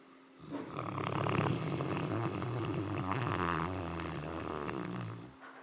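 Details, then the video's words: Pet dog Bodhi snoring while dreaming, a steady low rasping snore. It rises after about half a second, holds for roughly five seconds with a rough, fluttering texture, then stops in a quiet room. "Bodhi Dreaming and Snoring"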